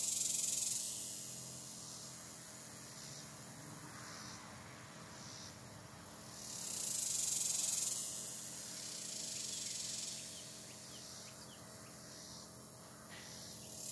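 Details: Very active cicadas on a hot July day, their shrill, hissing drone continuous throughout, with brighter surges around the start, at about seven to eight seconds and again near ten seconds.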